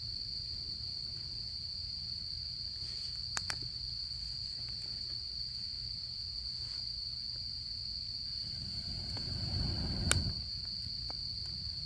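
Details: Autumn insects at a camping-season campfire: a steady, unbroken high ringing drone runs throughout, over low rumble, with scattered sharp crackles of the fire and one louder pop near the end.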